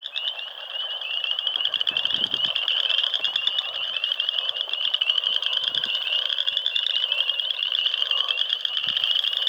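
A dense chorus of frogs gives high, rapid, pulsing trills that run together without a break.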